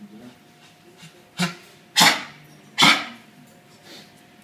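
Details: Dog with chronic bronchitis coughing indoors: three harsh, broadband bursts, the second and third loudest, spaced under a second apart, with a faint steady hum and a softer burst near the end.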